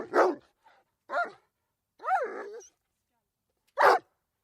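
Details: Dog barking in short, loud, broadband bursts spaced about a second apart, with one longer, rising-and-falling yelping bark in the middle; quiet background.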